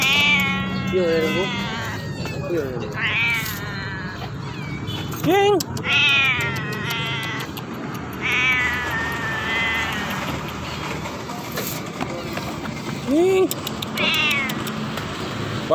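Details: Feral cats meowing repeatedly, with wavering, rising-and-falling wails and shorter yowls scattered over fifteen seconds against steady background noise.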